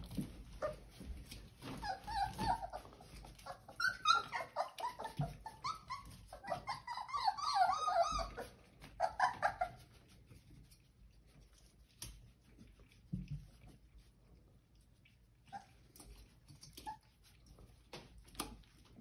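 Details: Ellie's Old English Sheepdog puppies, four weeks old and born 10/23/22, whine while eating a muffin-tin snack: a run of loud, quavering, tonal whines in the middle, then quieter clicks of eating and occasional squeaks.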